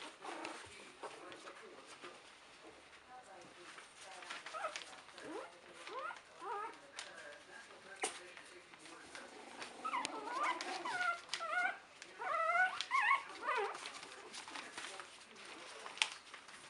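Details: Buttercup's puppies, three weeks old in 2015, running toward the person and starting to wrestle and play. Scattered squeaky whimpers become a dense burst of rising and falling yelps near the end. Human talk and handling noise run throughout.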